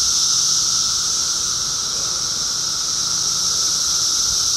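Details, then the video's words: Cicadas in 2013 fill the air with a dense, unbroken high-pitched hiss, a steady shimmering drone that holds level throughout with a fainter thin tone beneath it and no pauses. "2013 Cicadas"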